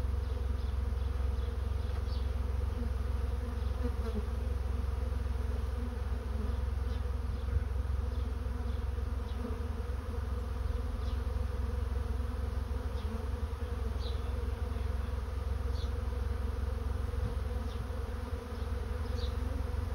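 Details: Honey bee swarm moving into a swarm trap, a dense continuous low hum with layered droning harmonics held steadily throughout, with faint short higher buzzes of individual bees flying past now and then.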